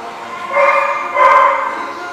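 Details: Dog at The Barking Lot, recorded 26 October 2015, giving two drawn-out, tonal barks with rich harmonics, the second starting about three-quarters of a second after the first and slightly fuller, over a quiet background.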